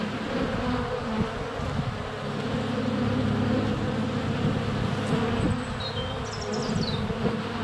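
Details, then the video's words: Honey bees circling a hive entrance on a sunny February day, captured close up with a GoPro Hero 7 Black: thick, steady droning buzz of many wings, with brief thin birdsong whistles near the end. "Honey Bees - ambient video and audio"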